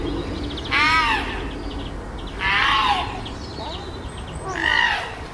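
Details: Chimpanzees at Chester Zoo's Chimp Island during tensions, fights and displays following the arrival of a new baby: three drawn-out, wavering, harmonic screams rising then falling, separated by quieter gaps of about a second and a half.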